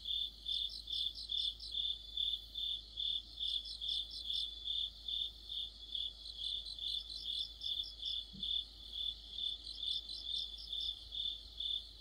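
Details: An autumn insect orchestra led by crickets. A continuous high-pitched ringing tone carries evenly spaced pulsed chirps, about two per second, with fainter callers chirping behind.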